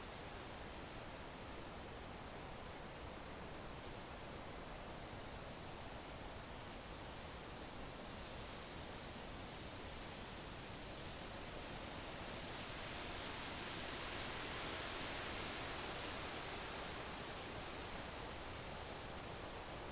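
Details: Crickets chirping in an ambient recording: a steady, unbroken high-pitched trill holds at one pitch throughout, over a soft, even hiss of background noise.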